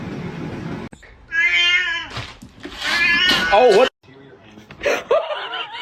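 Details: Domestic cat described as jealous gives a flat, drawn-out meow with stacked harmonics, followed by further short wavering cries, mixed with overlapping human speech, laughter and screaming indoors.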